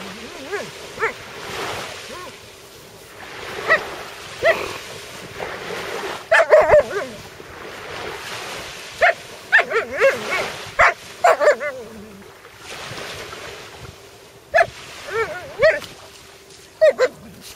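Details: A Malamute with a sea robin it found lets out scattered brief whimpers and sharp yelps, clustered near six, ten and fifteen seconds, with clicks and a steady background rush between them.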